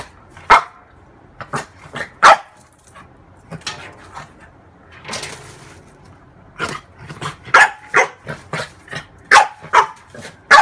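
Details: A female French bulldog plays with her reflection in a mirror, giving scattered short yips and barks, then a quickening run of sharp, high barks in the second half.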